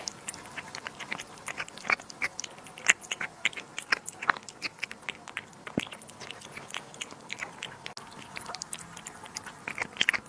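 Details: A cat eating duck liver and sterilized egg indoors: quiet, wet chewing with frequent sharp clicks and crunchy bites, scattered irregularly throughout.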